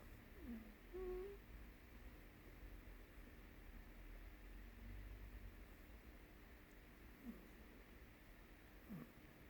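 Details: Blue Staffordshire Bull Terrier puppy, eight weeks old, indoors; faint, thin whimpers near the start, then brief sliding squeaks later, spread across a mostly quiet room with a low background rumble.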